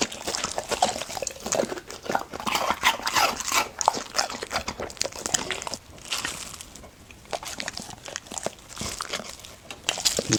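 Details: Golden Retriever VC eating raw food, ostrich heart for the first time, recorded up close indoors; wet crunching bites and chewing come in quick irregular bursts, louder and softer by turns, with no other voices.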